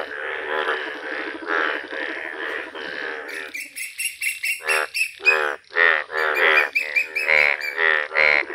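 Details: A village chorus of yellow Indian bullfrogs: a long, drawn-out rasping croak first, then short, loud, staccato croaks repeated roughly twice a second, several frogs overlapping.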